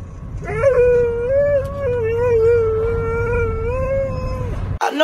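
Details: Pet Siberian Husky holding one sustained, steady howl for about four seconds, level in pitch with gentle wavers, ending abruptly, with a low rumbling hum underneath throughout.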